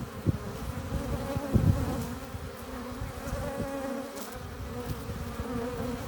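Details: Honey bees buzzing at a hive entrance as they come in carrying pollen and nectar; a dense, steady low hum with overlapping wingbeat tones, broken by a few louder thumps and low rumbles.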